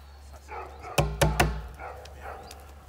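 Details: Pétra, an eight-week-old female Belgian Malinois puppy trained in bitework, recorded in 2019, giving short harmonic yelps around a burst of three sharp, loud thumps or snaps, with low background hum throughout.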